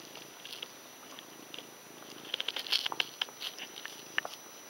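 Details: Five-day-old Ragdoll kittens from a litter of six give thin, high squeaks and tiny mews in quick, irregular bursts.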